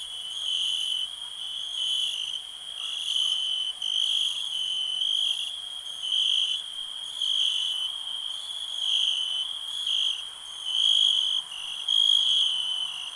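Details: Cricket keeping up a high ringing trill that pulses louder and softer roughly once a second across the whole stretch, steady and unbroken.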